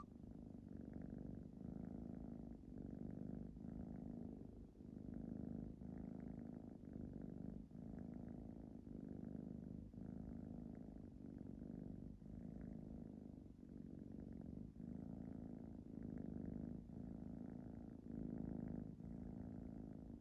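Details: Ragdoll cat named Nagi purring while falling asleep indoors: a steady low rumbling purr in rhythmic pulses, each breath cycle roughly every one to one and a half seconds, continuous throughout with a faint higher buzz.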